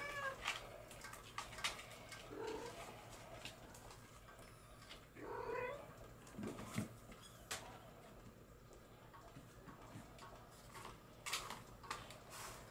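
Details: Bengal kittens born in July 2022 letting out soft, scattered mews, a couple of slightly louder wavering cries near the second and fifth seconds, amid clicks and rustles and a quiet indoor hum.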